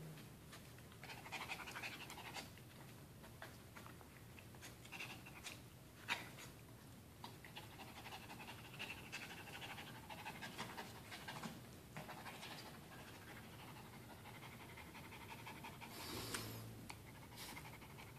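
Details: Dog panting during and after a game of tug of war with a towel, indoors; rapid breathy bursts in irregular runs, soft and close, with a person speaking nearby.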